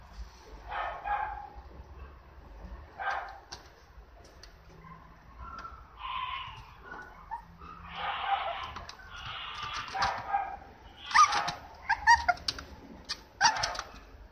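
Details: Female apricot Toy Poodle puppy, 58 days old, Osaka, Japan, April 19: short, high, harmonic yips and whimpers come in irregular bursts, some drawn out and nasal, several louder squeaks near the end.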